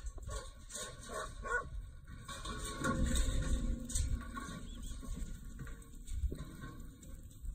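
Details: Kelpie pup yapping: a quick run of short, high yips early on, then scattered barks and whimpers over constant low rumbling background noise.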